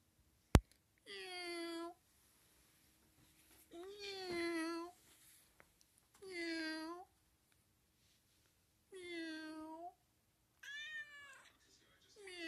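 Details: Friendly, playful cat meowing indoors in a small room: five drawn-out, harmonic meows roughly every two to three seconds, some falling at the end, with a sharp click near the start.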